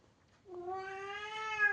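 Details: Domestic cat indoors giving one drawn-out, rich harmonic meow that begins abruptly and holds a steady, slightly rising pitch for more than a second, with a brief louder lift at the end; a quiet room.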